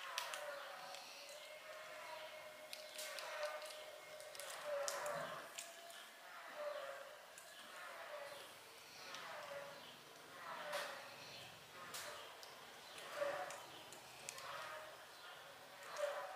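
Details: Mother cat that seems to sing karaoke, giving soft, tonal, drawn-out cries that rise and fall roughly every two seconds, with a steady faint background hum and occasional light knocks.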